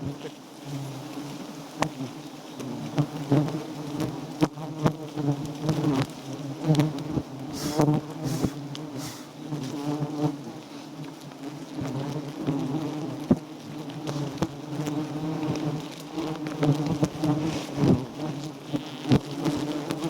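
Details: Giant honey bees buzzing around a small wild nest during a honey harvest, with the comb gathered into a bag. A continuous low, even droning hum runs throughout, broken by frequent sharp taps and rustling from handling.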